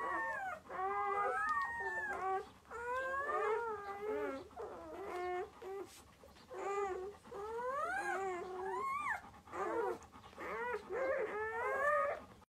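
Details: Long-haired German Shepherd, a mother giving birth to six puppies: short, rising whimpering cries come in quick bursts of about a second, repeated with brief gaps throughout, several thin voices overlapping.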